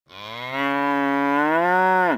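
A cow gives a single long, steady moo that drops sharply in pitch at the end.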